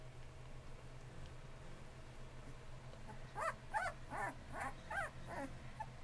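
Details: Bullmastiff puppies, 2.5 weeks old with eyes newly open and learning to walk, from an AKC champion-sired litter; a run of short, high whining yelps from about three seconds on, roughly one every half second, over a steady low hum.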